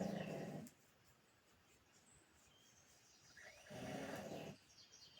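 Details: Pug snoring in its sleep, two coarse, vibrating snores roughly three seconds apart with a hushed pause between them, background otherwise quiet.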